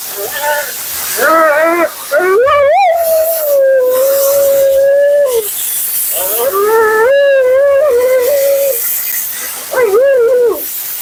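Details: Dramatic Siberian Husky Mila complains during her second-ever groom, a bath and blowout: long, sustained howl-like wails holding a steady pitch for several seconds, then dropping off, with shorter warbles between, under loud blowing hiss.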